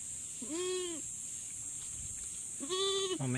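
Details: Goat on a farm right after giving birth: two short, arched, higher-pitched bleats about two seconds apart, a low bleat at the very end, and a steady hiss throughout.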